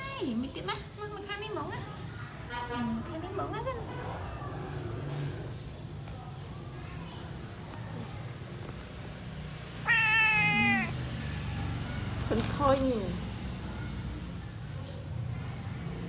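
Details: Male ginger cat meowing while its ears are cleaned during grooming at home; two clear, wavering meows, one around the middle and a shorter one soon after, with people talking throughout and steady background hum.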